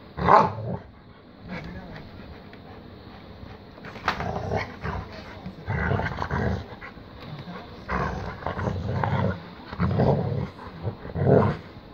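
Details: Two Rottweilers, worked up and going crazy, give deep, gruff barks in loud bursts, about seven over twelve seconds, some in quick doubles, with a low background rumble between outbursts.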